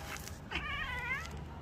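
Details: A domestic cat named Simba, scolded for repeatedly going out, replies angrily with one drawn-out, slightly wavering meow that dips toward its end, under a second long, over low household hum and nearby human speech.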